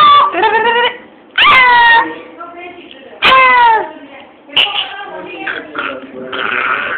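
A Lhasa Apso gives loud, tonal barks that drop in pitch, with a human voice nearby.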